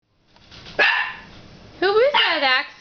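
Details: Axel, a 9-week-old puppy, barks at his own reflection in a fireplace glass door: one sharp bark, a pause, then a run of higher, tonal yelps that rise and fall, with possible human voice mixed in.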